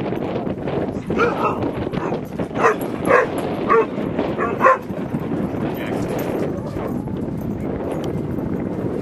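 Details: Dog barking amid dog play at Seal Point Dog Park on the western side of San Francisco Bay, July 19, 2014; about five short, sharp barks between one and five seconds over steady outdoor rumble and murmuring voices.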